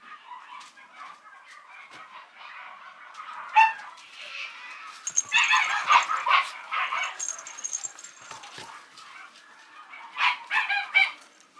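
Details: Female Mame Shiba puppy at the Housansou breeding kennel in Japan gives sharp, high yaps and squeaky yelps in irregular bursts, busiest in the middle and again near the end, with a few thin whistly tones between.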